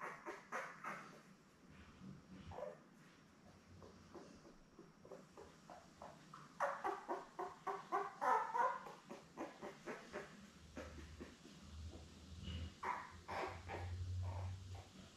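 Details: Seven newborn Labrador Retriever pups with their mother Belle, born May 24, 2021, filmed indoors on 3 June: a long run of short, rapid, squealing whimpers, several per second, rising and falling in waves, with low rumbling underneath.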